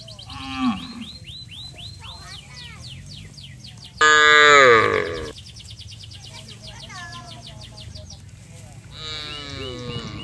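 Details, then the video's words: Cattle moving together to the rice fields from a village, calling to their companions: a brief low lowing at first, then a loud falling moo about a second long, surrounded by steady repeated chirping of small birds. "Bunyi sapi memanggil teman teman"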